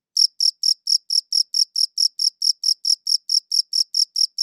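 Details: Cricket chirping captured with a good audio recorder: bright, high-pitched chirps, each short and identical, repeating evenly nearly four times per second with a quiet background.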